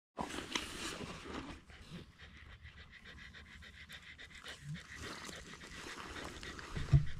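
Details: Shiba Inu on a quiet morning walk waiting for a treat, panting steadily in soft rapid breaths, with faint rustling and a few clicks.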